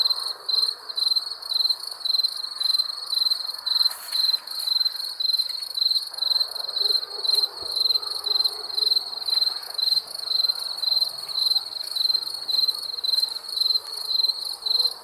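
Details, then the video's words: Night-time cricket chorus of bright, high-pitched trilled chirps repeating roughly twice a second without pause, over a soft low background hiss. "Crickets chirping sounds"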